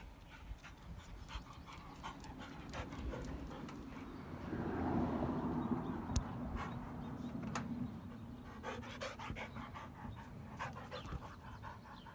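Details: Rottweilers resting after running and playing. Rapid, rhythmic breathy panting comes about four times a second. A low rumble swells in the middle of the recording, and a few sharp clicks stand out.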